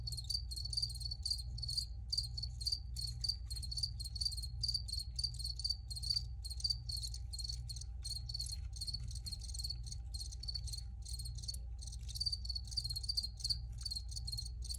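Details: Originally recorded crickets keep up dense high-pitched chirping, fast pulsed bursts running almost without pause, with a steady low background drone and a faint continuous hum.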